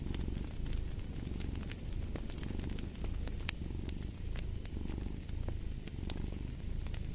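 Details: A cat purring steadily, a deep continuous rumble pulsing in rapid rhythmic waves, with sharp crackles and pops from a fireplace scattered throughout.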